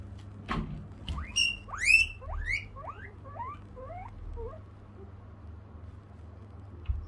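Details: Guinea pig calling as a door opens: a run of about ten loud, rising whistled squeals with bright overtones, each one lower and softer than the last over four seconds, then quiet with a low steady hum underneath.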